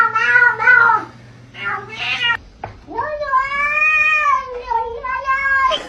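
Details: Mischievous cat at a door: several short meows, then a long, loud, drawn-out wail that rises, holds steady and dips, with a faint low hum underneath early on.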